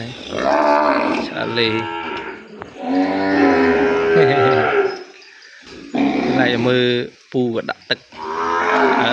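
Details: Calf separated from its mother and kept away from her, crying in a pen: drawn-out, harmonic bawls of a second or more, with short gaps and a faint voice alongside.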